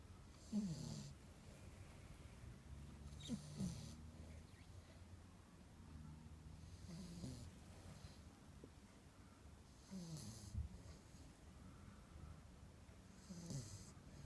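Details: Kiki, a 10-week-old Akita puppy napping soundly on a sunny Sunday, snores softly: low, rough, snorting breaths about every three seconds in a quiet room, each with a faint raspy edge.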